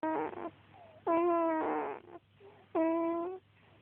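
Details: Sleeping dog snoring: breaths of about half a second carry a steady, humming nasal tone, recurring roughly every one and a half seconds with quiet pauses between, in a still room.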